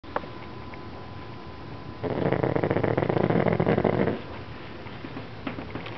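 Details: Pug named Princess snoring while asleep before waking up; a quiet room gives way to a two-second rough, rattling burst of rapid pulsed snorts, then fades back to soft breathing with a few small clicks.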